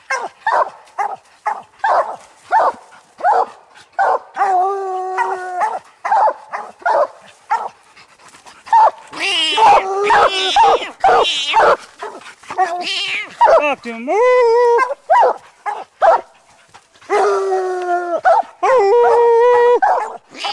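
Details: Three coon dogs, Lucky, Mossie and year-old Star, bark excitedly at a raccoon up a tree during a hunt. Rapid overlapping chop barks mix with several long, wavering bawls as the dogs sound together.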